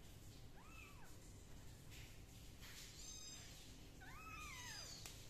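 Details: Kittens dried with a towel and a gentle hair dryer give two clear, rising-then-falling meows, one early and a longer, louder one near the end, with a low room rumble underneath.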